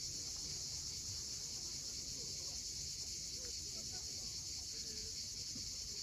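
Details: Cicadas calling at sunset on the steep coast of Cape Fiolent, Crimea: a continuous, dense, high shimmering buzz that holds steady throughout, over a faint low rumble of waves.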